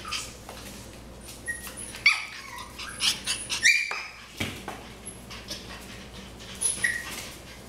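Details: Several short, thin, high-pitched squeaks and whines come from seven-and-a-half-week-old Cavalier King Charles Spaniel puppies, scattered irregularly over handling knocks and shuffling sounds indoors.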